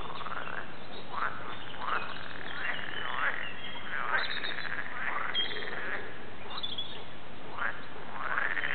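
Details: Frog chorus recorded at the Warande, Tilburg, made of many short rising, upswept croaks repeated roughly every second over a steady background hum of other callers.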